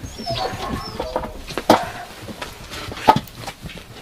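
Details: Yakutian Laika puppies give faint whines followed by two short, sharp yelps about a second and a half apart.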